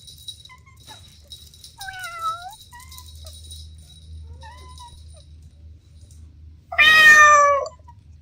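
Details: Domestic kittens playing with their mother and two siblings: a few faint, thin mews around the two-second mark, then one loud, bright, drawn-out meow near the end over a quiet background.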